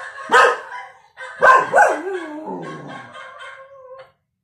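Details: A 1-year-old cockapoo barking at dogs on TV gives three sharp, high barks, then trails into a falling, whiny yelp.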